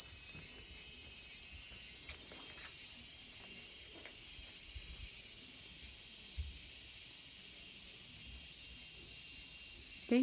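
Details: Garden cicada on August 5, 2020, droning a loud, continuous high shrill for about ten seconds, perfectly even in volume, with faint low rustles beneath and a short rising squeak at the end.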